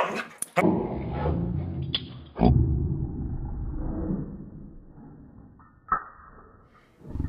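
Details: Border Collie pet reacting angrily each time a person says "yo mama", giving a loud, low, rough growling bark that holds for several seconds, then fades, with a sharp burst near the end and a person talking.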